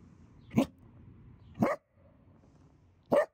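A Dachshund gives three short, sharp barks spaced about a second apart.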